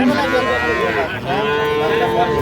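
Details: Improved-breed dairy cows and calves sold at Ambari haat on 2/3/25: two overlapping harmonic moos, one rising then dipping, another held steady, amid busy market chatter.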